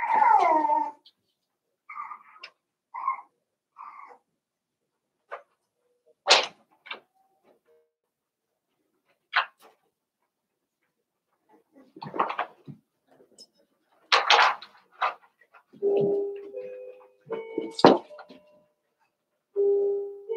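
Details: Eight Cavalier King Charles Spaniel puppies at play after two litters are merged: thin whimpers and brief squeaky yelps, ending in drawn-out steady whines, with clicks and knocks between calls and a little human talk.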